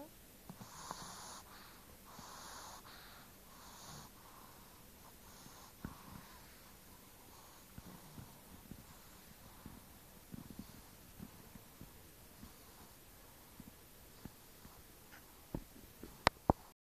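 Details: Layla, a 5-month-old pug puppy, snores while asleep. Three breathy, wheezing snores come about every one and a half seconds at first. They are followed by quieter breathing with scattered soft clicks and snorts.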